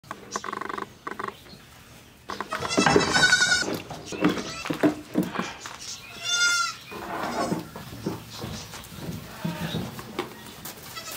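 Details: Baby goats seven to twelve days old being bottle fed on a farm, bleating in loud wavering, nasal cries with strong harmonics, several overlapping calls in quick succession amid sucking, handling noise and occasional human voices.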